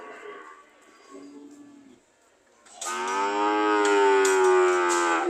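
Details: Cows ready to leave, mooing: after faint murmurs, a loud drawn-out moo rises in from about the third second, harmonic-rich and steady for over two seconds.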